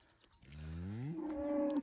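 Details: Angus cattle on natural pasture while a herder drives them: a single drawn-out moo starting deep and rising steadily in pitch over about a second into a strained, higher held note, with steady outdoor background noise.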